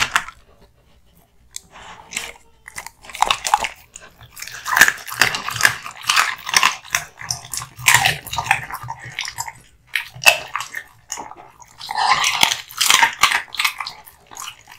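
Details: American Bully Kotetsu, a male born 2016, gnawing on hung raw meat and bones. After a quiet start, steady crunching and tearing bites build into dense runs of sharp cracks, with brief pauses between bursts.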